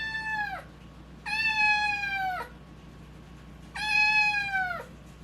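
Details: Domestic cat with a changing voice, recorded while fighting FIP: three drawn-out meows about a second long each, spaced irregularly, steady pitch with rich overtones and a falling, slightly hoarse ending; quiet indoor background.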